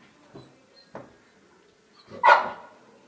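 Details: American Bully dog being called by its owner; two soft low woofs followed by one loud, sharp bark near the end, with a person's voice just before.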